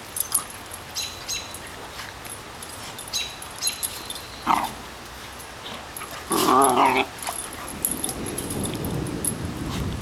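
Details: Two dogs ganging up on a person in play: a brief harmonic yelp-like cry near the middle, then a rough, low rumbling growl toward the end, with clinking and jangling in the background.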